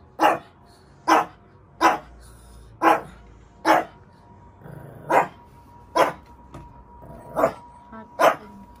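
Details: Shih Tzu quarrelling with her sibling over her bed. She barks about nine times in single short, sharp bursts, roughly one a second, over a faint steady hum.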